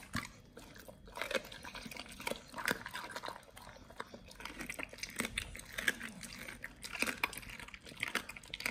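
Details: Pit Bull nomyen feeding on raw quails indoors: continuous wet chewing and licking with intermittent crunches and slurping, busier toward the end, quiet room.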